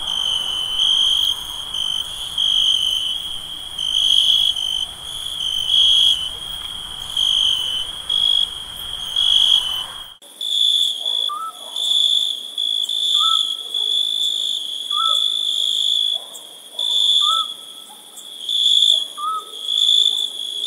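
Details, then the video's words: Crickets chirping on a summer night: a shrill, bright trill swelling and fading in bursts about once a second. An abrupt cut comes midway, then soft short whistled notes recur every two seconds beneath the trill. "Relaxing nature sounds of crickets chirping."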